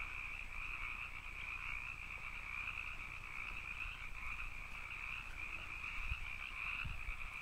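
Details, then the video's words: Chorus of canyon frogs as an unbroken, even two-toned drone, with a couple of faint low knocks near the end. "canyon frogs"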